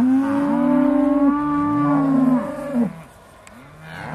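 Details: Aussie Red dairy cows on the Beaulands farm, December 2012, just before milking: a long, steady, sustained moo lasting nearly three seconds with rich harmonics, ending abruptly, followed by a quieter second voice and faint background noise.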